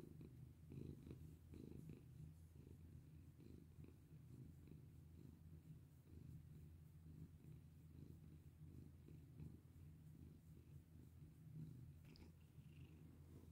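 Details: Cat purring contentedly under a petting hand, a long low vibrating purr rising and falling with each breath, plus occasional soft rustles and a faint click.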